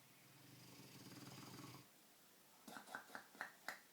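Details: Deep, rattling snore from Milo, a Dogue de Bordeaux, fast asleep; the low buzzing breath fades out after about two seconds, then a few sharp clicks or taps follow in a quiet room.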